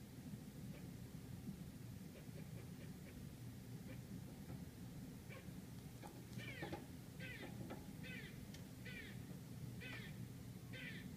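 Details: Squirrel in Manhattan, New York City, barking outside an apartment: scattered faint clicks at first, then from midway a series of six or so coarse, buzzy barks at slightly uneven intervals over city rumble.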